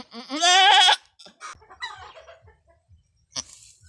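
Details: Goat giving birth for the first time, a difficult delivery on a small backyard farm: one loud, rising, tremulous bleat of about a second, then scattered soft clicks and faint sounds.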